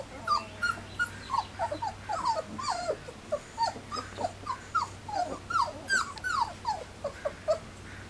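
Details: Three-week-old Standard Poodle puppies on their first day outdoors, after their first mouthfuls of puppy gruel, give a run of short, high, falling whimpers and squeaks, several overlapping, repeated about twice a second over a low steady hum.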